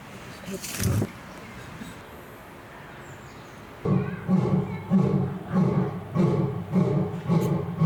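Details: A lion gives a run of deep, throaty grunting roars, about two pulses a second. It roars at its own mirrored reflection after a sneezing fit.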